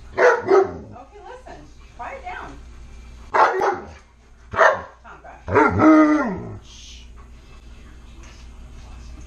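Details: Tonka, an Alaskan Malamute begging for french toast at home, gives a run of loud harmonic yips and woo-woo sounds, several short bursts then a longer wavering one near 6 seconds, before falling quiet.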